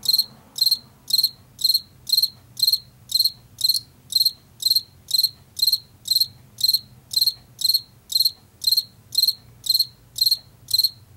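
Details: Steady chirping of a field cricket in Washington, a sound of late summer and fall: about twenty sharp, high trilled chirps in a row at around two per second, with soft low background hum.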